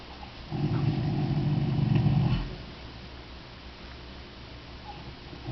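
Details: Sleeping Percheron mare Gracie gives one long, low, growling snore lasting about two seconds, followed by quiet breathing.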